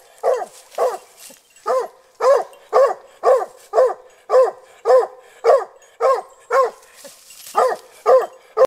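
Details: Young hunting dog Lily, over a year old, barks at a wild boar held in a snare while training for boar hunting. Repeated sharp barks come roughly twice a second, with one brief break before barking resumes.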